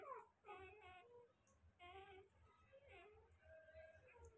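Newborn Rottweiler puppies give high, thin whimpers and squeals that rise and fall in short bursts.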